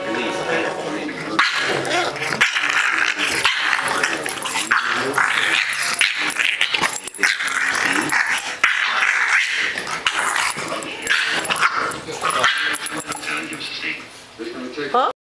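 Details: A female English Bulldog and a bulldog puppy growl and grumble over a shared toy in rough, snorting bursts, with a human voice faintly behind them.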